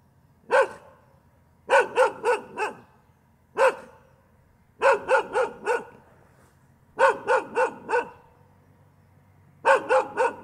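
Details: Dog giving continuous bow-wow barking in repeated bursts of one to four barks, spaced about a second or two apart over ten seconds, in a quiet setting.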